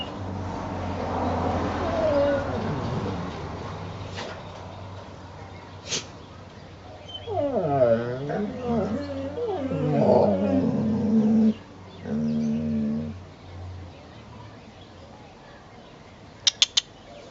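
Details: Eleven-month-old Great Dane Brutus bugging fellow dogs Lucky and Piko as Lucy looks on: a run of rising and falling harmonic whines and grumbling moans over several seconds, with a few sharp clicks and knocks.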